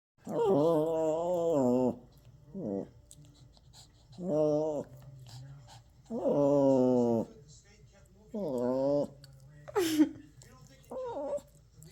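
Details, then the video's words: Toy Poodle puppy throwing a tantrum indoors: long drawn-out harmonic whines and moans, some wavering, repeated in bursts about every two seconds, ending with a sharp high yelp and short whimpers. "#puppy #doggielife #tantrums"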